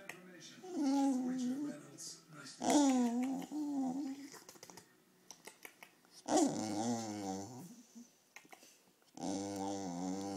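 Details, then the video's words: Very hungry Wire Fox Terrier indoors demanding food, giving several drawn-out, wavering whines and moans in separate bursts, with short gaps and faint clicks between them. "Fox Terrier - Hungry Defa"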